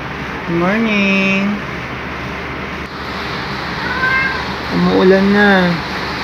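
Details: Luna, a male black pet cat, gives a loud jolly greeting on waking up beside his owner one rainy morning: two drawn-out, rising-then-falling meows with rich harmonics, about a second each and four seconds apart, over steady rain and a person's morning greeting.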